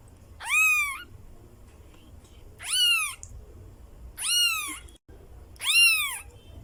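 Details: Persian kittens meowing: four high, arched mewing calls, each under a second, rising then falling in pitch, spaced about one and a half seconds apart over a faint low background hum.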